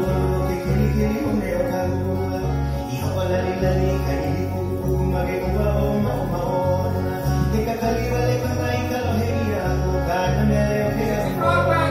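Country-style music with plucked guitar, a steady bass beat and singing, with no animal sound.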